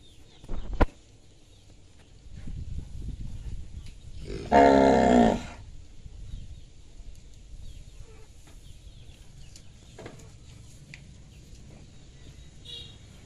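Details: A cow gives one loud, rich moo lasting about a second near the middle, full and layered with harmonics. Around it the field is quiet apart from a low rumble, a sharp knock early on and faint scattered ticks.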